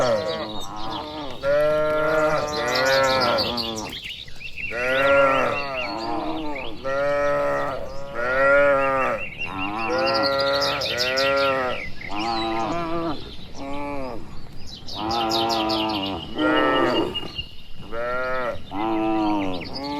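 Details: Dozens of cattle walking slowly home to their shed in the evening on a rural village road, mooing back and forth. Continuous overlapping moos, some long and some short, with scattered high chirps in the background.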